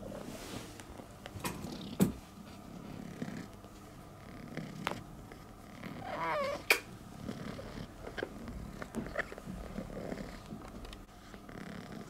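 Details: Rescued stray female cat in Istanbul, one of three strays taken to the vet after falling sick, thanking her rescuer and hugging him: steady low rumbling purr with scattered clicks and rustles and a brief faint wavering note midway.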